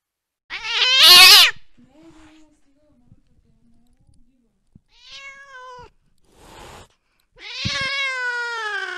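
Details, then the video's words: Cat pursuing a mouse late at night: a loud shrill meow, quiet faint murmurs, a short soft meow and a scratchy rasp, then a final long whining meow that bends downward. "tiếng mèo đuổi chuột trong đêm khuya"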